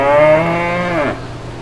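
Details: Brown cow among calves in green pastures; the tail of a single full moo, steady and harmonic before dropping in pitch and cutting off, then a low background hum.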